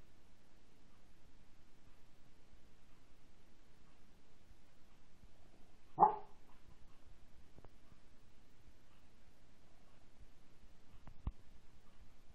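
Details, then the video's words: A dog gives a single short, sharp bark about halfway through, begging for its owner's food, followed by a faint tap later; otherwise only a low steady indoor hum. "A little barking"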